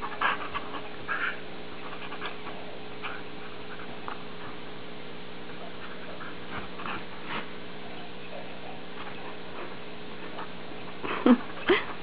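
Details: Ginger, a Standard Poodle, play biting in her favourite game, mouthy but gentle; soft snorts and scattered short snuffly bursts over a steady low hum, with a sharper squeaky yelp near the end.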